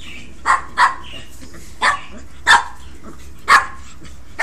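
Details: Pekingese puppies, a brother and sister, playing rough together indoors: short sharp yips and barks, about six over four seconds at uneven intervals, each a brief bright burst, over a low steady background hum.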